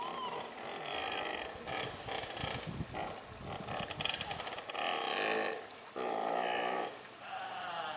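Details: Newborn Steller sea lion pup, 15–20 kg and about 1 m long, sex unknown, born June 4 at 8:45 in the sea lion pool at Otaru Aquarium during the late-May to early-June birthing season. It gives drawn-out, harmonic bleating cries about a second long, over steady background noise.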